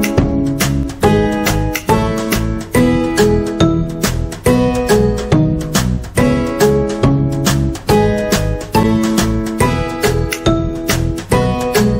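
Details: Upbeat acoustic guitar music with steady strummed and plucked chords, no animal sound heard.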